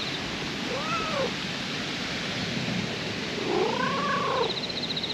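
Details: Brown-and-white park stray cat that moved from a pond's edge to a Western-style garden, uttering two low arched meows, one short, one longer and wavering, against a dense outdoor noise bed.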